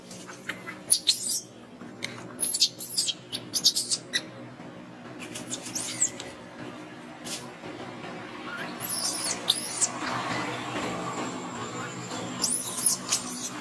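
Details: Hungry baby monkey named Alba, ignored by its mother and crying on the ground, gives repeated high, squealing cries in short bursts, some falling in pitch, between quieter pauses.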